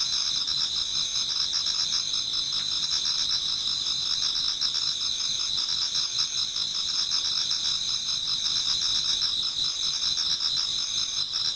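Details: Autumn insects singing toward dawn in a Japanese garden, a dense, steady high chorus of overlapping trills and pulsed chirps layered in several bands, continuous throughout with no other clear sounds.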